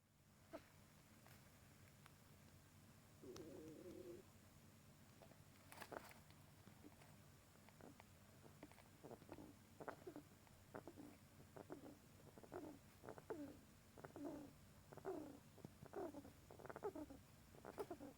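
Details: Pet rat fast asleep, snoring softly indoors: faint, short rasping breaths repeat at an uneven pace of roughly one per second, growing clearer in the second half, with a brief louder rustle near the start and a quiet background hum.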